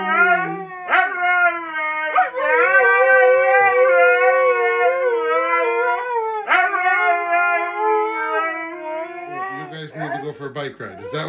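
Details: Siberian Huskies, said to be good, sometimes demanding communicators, visited during a daily bike ride, give long sustained howls with small wavering bends, broken by brief yips, lasting several seconds each, then lower whining and a man's voice at the end.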